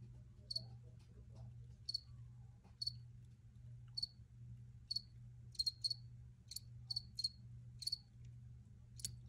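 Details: Crickets in an original recording, clear high-pitched chirps spaced about a second apart, bunching into quicker pairs midway, above a continuous low hum.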